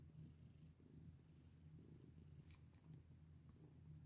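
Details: A pet cat purrs contentedly as it is stroked, a deep continuous rumble with gentle breath-paced swells and a couple of small clicks midway.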